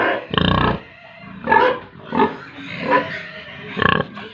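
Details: On a Tripura pig farm, pigs and piglets utter a handful of separate deep grunts and short nasal oinks, about five in a few seconds with quiet gaps.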